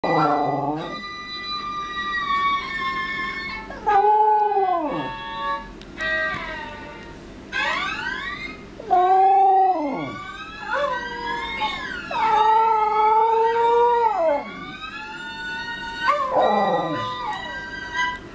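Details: A corgi watches a video of himself singing and howls along with violin music: drawn-out, wavering howls that rise and fall, sometimes breaking into yips.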